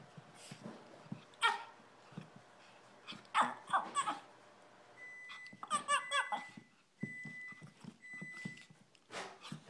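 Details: A female Shih Tzu gives short, bright yaps, sometimes two or three in quick succession, to let her owners know what she thinks before running off; soft thumps and a faint electronic tone sound behind.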